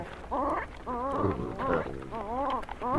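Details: Wild Hamadryas baboons squabbling over stolen grain in northern Ethiopia, recorded at close range with a Sony PCM D100; a series of wavering, voice-like moaning calls with rising and falling pitch, eerily human in tone.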